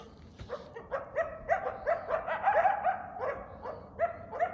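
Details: Barky's mate, a darker, slightly smaller female coyote with a black tail, barking while escorting a person away. She gives a fast, uneven run of high yelping barks, several per second, which pause briefly and then resume.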